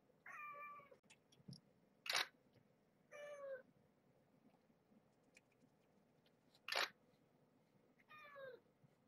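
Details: Indoors at evening play time with Marge's young kittens and their mother, a rescued stray: three steady, evenly pitched meows spaced a few seconds apart, with sharp handling clicks and rustles in between.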